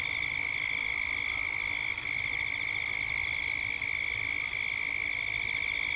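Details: Cicadas calling at dusk in Gippsland, Australia: a dense, steady high drone with a quick wavering pulse, dipping briefly for a moment twice.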